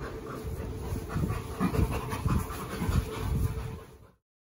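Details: Two rescued chimpanzees laughing during a long play session: low, breathy, panting bursts repeated roughly twice a second in uneven rhythm, rising and fading, with soft rustling in the background.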